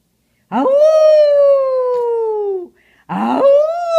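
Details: Retired male Maltese, a former show dog, singing in reply to his owner: one long steady tonal howl sliding slowly downward for about two seconds, then a brief pause and a second howl starting with a rough onset.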